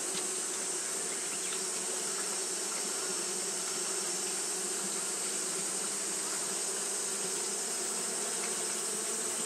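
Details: Japanese honey bees fanning continuously on a hot day, giving a dense, steady droning buzz with low humming bands and a constant high hiss above, unbroken throughout.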